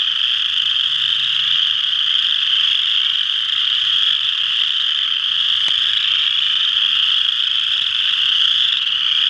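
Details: Chorus of western chorus frogs, Ojibway Park, Windsor, Ontario: countless overlapping shrill trills blend into a steady, buzzing high drone, with one brief faint click partway through.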